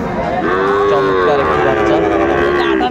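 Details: Moo from Sahiwal bull calves at a livestock market, 20 April 2024: a long, throaty low call that swells after half a second and wavers slightly in pitch before tapering off, with market chatter in the background.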